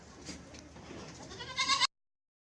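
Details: One Barbari goat on a farm keeping four females gives a brief, nasal, harmonic bleat near the end, rising in loudness before it cuts off abruptly, following a quiet stretch of low farmyard noise.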